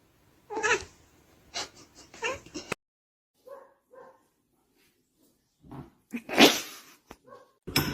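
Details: Domestic cat in a funny cat compilation giving two short, high meows in near silence, after scattered knocks and thumps, followed by a loud rasping burst and sharp clicks.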